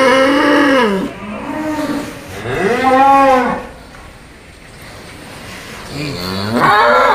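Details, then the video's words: Raging bull in training lows in two deep arched moos, then a loud drawn-out bellow, a quiet pause and a fresh bellow starting at the end. "SAPI EXTRIM HALILINTAR NGAMUK BERLATIH SIAP TANTANG PENTON"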